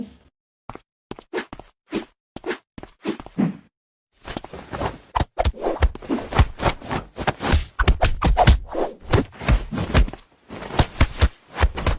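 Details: Rhythmic music with sharp thuds and thwacks, like footsteps or knocks, and a brief pause near four seconds, with no animal voice heard.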